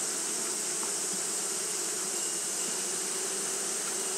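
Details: On a hot day Japanese honey bees keep fanning, giving an even, unbroken drone of low humming tones beneath a constant sharp hiss across the whole short stretch.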